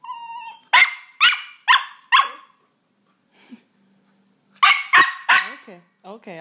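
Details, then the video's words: Roxy, a Miniature Pinscher kept as a pet, reacting to cat sounds from a soundboard: a brief meow-like tone, then four sharp barks in quick succession, a pause, and another burst of barks; a woman's voice reassures her afterwards. "Miniature pinscher reaction to cat soundboard"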